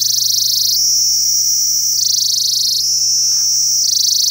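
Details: Kashmiri cicadas in Kashmir, whose squeaking marks the start of autumn and lasts two months or more; a loud, steady, high-pitched buzzing drone that steps between a lower and a higher pitch in alternating blocks of about one second.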